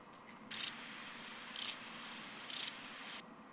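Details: A Chorthippus grasshopper (Chorthippus parallelus, kept in a home kit) gives short, high, hissing rasps, about one each second, with softer scratches between; possibly others answering.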